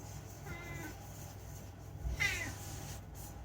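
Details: Unagi, a rescued house cat known for chatting, makes two short, thin meows indoors, the second a quick falling chirp, over low room hum.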